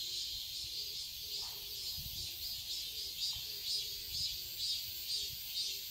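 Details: Cicadas in a summer garden in Seoul, Korea, keep up a dense, high shrill buzz with a soft pulse about twice a second; faint low tones and a low rumble sit beneath.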